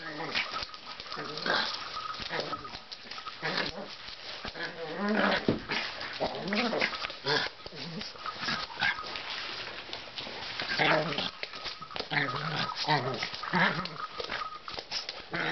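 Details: A young Pug busy at play with a ball, producing low growls and brief whiny sounds in bursts, mixed with clattering and knocking from the game and some human voices.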